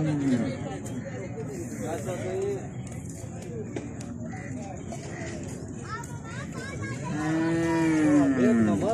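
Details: Cattle during a natural mating session with cows, bull and buffalo: a muffled lowing early on, then a loud, strained moo near the end that falls in pitch, with murmuring voices and constant background hum.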